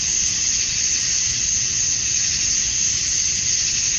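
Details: Male cicadas chirping to attract females on a Georgia, USA summer evening at dusk form an even, piercing high buzz that never pauses, with a slight shimmering pulse and nothing else clearly heard.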